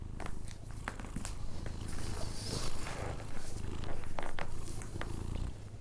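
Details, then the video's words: Sleeping Persian cat snoring indoors: a steady, low rumbling drone that rises and falls with its breathing, with a few faint clicks and soft rustles on top. "record my Cats snore when he sleeping"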